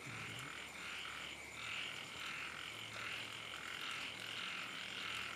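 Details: Frogs calling on a rainy night in flooded land, a dense, steady chorus of high pulsing croaks that swell and fade in overlapping waves, roughly eighty-five pulses a minute, with no other clear sounds.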